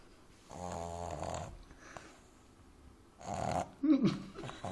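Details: French Bulldog puppy named Amy asleep in someone's arms, snoring loudly: a rattling, buzzy snore for about a second, a pause, then another loud snort-like snore ending in a choked snuffle as she chokes on her snore and wakes.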